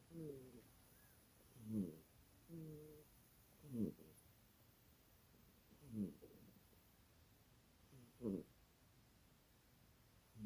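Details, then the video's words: Loud snoring from a sleeping little cat, a steady cycle of drawn-out rumbling inhales and sharp snorty exhales roughly every two seconds across the stretch, in a quiet room. "You Snore Loud For A Little Kitty!"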